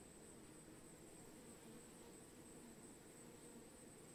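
Bees hum in a continuous low, blurred buzz, as though many wings are beating at once. The drone never breaks or changes pitch, and a thin steady hiss sits high above it.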